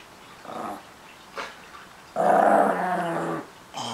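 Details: Small Chihuahua-Miniature Pinscher cross guarding his treats: two brief soft growls, then a louder sustained growl over a second long, and a final short rumble starting.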